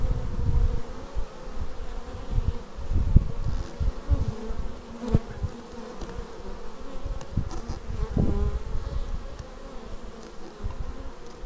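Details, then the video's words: Bees arriving at a beehive, raw footage from a Xiaomi Yi action camera: a dense, droning hum of many wingbeats with wavering mid tones, overlaid by frequent low thumping rumbles as insects pass close. "Bees arriving at hive"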